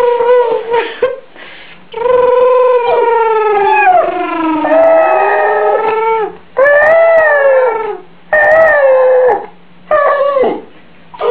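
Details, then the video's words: Benji, a pet Yorkshire Terrier, howling indoors in a small room: long sustained tonal wails with rich harmonics, sliding down then rising again, broken by short gaps and brief yips. "Benji Howling"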